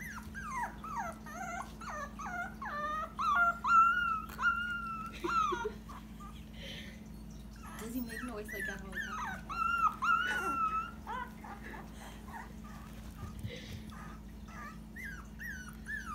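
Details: Frank, a Dachshund puppy, howling for the first time: strings of short, falling, whining yelps broken by two longer, level, drawn-out howl notes, with a steady low hum and faint human speech underneath.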